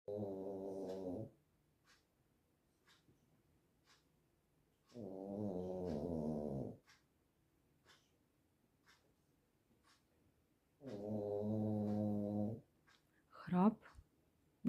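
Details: Sleeping dog snoring like a man, three long low buzzy rasping snores, each lasting one to two seconds, repeated about every five seconds in a quiet room, with a brief sharper sound near the end.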